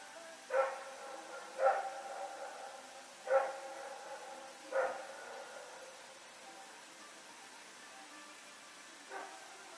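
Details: Dog named Rex with a companion, running around at night on Sep 21, 2018, barking: sharp harmonic barks spaced one to two seconds apart, five loud ones then a fainter bark near the end, over steady low hiss.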